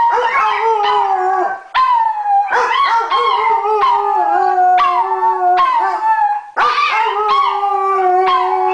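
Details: Two dogs, a Weimaraner and a Chihuahua, howl together in long, overlapping, wavering tones during their daily evening howling session, apparently for no reason.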